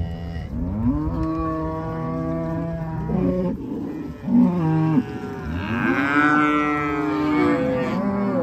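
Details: Black Angus cows from a herd of 140 cattle, several animals mooing in long, low harmonic calls that overlap and swell, some rising then falling in pitch, with a brighter higher moo near the end.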